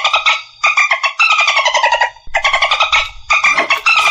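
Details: Dolphin calling in rapid buzzy bursts: crackling pulse trains with stacked harmonic bands, each burst about half a second to a second long, some sliding downward, separated by brief silent gaps.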